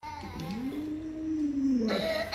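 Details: Luoluo, a pet Alaskan Malamute, gives a drawn-out whining howl to rouse an owner who won't get out of bed. The voice rises, holds level, then dips near the end. A pop song plays softly in the background.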